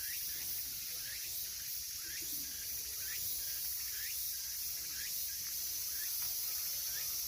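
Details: Cicada chorus in summer, a dense high-pitched shrill drone holding steady throughout, with short upward-sweeping chirps repeating roughly every second beneath it.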